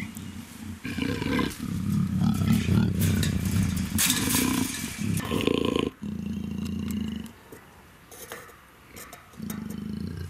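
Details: Female black African leopard in her first heat at a big cat breeding center, growling and snarling in long, deep, rumbling bursts with short breaks, quieter gaps near the end; music plays underneath.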